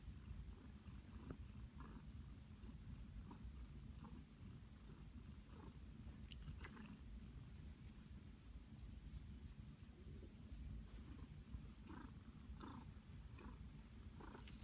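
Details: A pet cat named Flower, happy in a blanket nest, purrs as a steady low rumble throughout, with faint soft ticks and rustles from the blanket.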